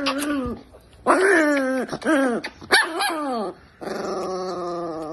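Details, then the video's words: Angry Chihuahua, a pet dog, voicing harsh, tonal growl-barks in short bursts: a brief call, then three strained, wavering snarls about a second apart, ending in a longer steady whine-like growl. "The most Angry Chihuahua in the world"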